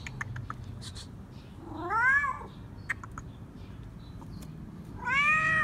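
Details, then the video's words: A stray tomcat calls insistently to be petted. Two loud, rising-then-falling meows about three seconds apart, with a few soft clicks and small noises between them against low background rumble. "Stray Cat Meowing Loudly, Demanded Me To Pet Him - Cats Meowing"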